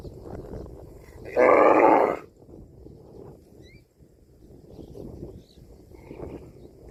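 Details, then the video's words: A cow gives one loud, harmonic moo lasting under a second, rough and fairly flat in pitch, after which only low rustling and scattered faint outdoor noise remain. "CUTE AND FUNNY COW SOUND VIDEOS COMPILATION"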